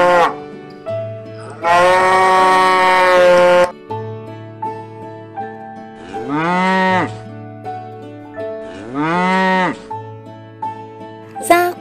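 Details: A yellow cow that eats dry straw moos twice, each call a low bellow arching up and down, about three seconds apart, amid bright children's music with loud held chords earlier on.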